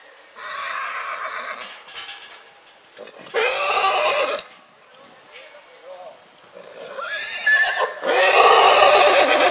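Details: A purebred horse in spring calls repeatedly: several harsh, harmonic neighs and whinnies in bursts, the last ones loudest, with brief quieter pauses between them.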